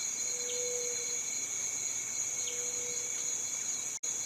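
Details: Cicada calling with a steady, unbroken high-pitched shrill drone, with faint brief chirps and a soft lower whistle now and then; the sound cuts out for an instant near the end.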